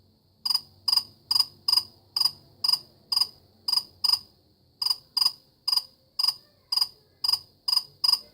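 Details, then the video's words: Cricket calling: short, clear, high-pitched chirps repeated roughly twice a second in a steady run of about sixteen, with a brief gap midway and a quiet background. "كيف يصدر صرصور الليل شادي الصوت"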